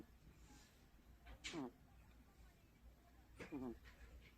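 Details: Domestic cat snoring quietly: two soft, rasping breath sounds about two seconds apart, each a brief fluttering snore, against a low steady background hum.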